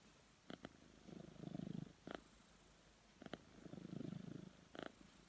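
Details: Cat snoring in its sleep, with slow rhythmic breathing; each low buzzing, pulsed rumble lasts about a second and is followed by a short crisp click before the next breath.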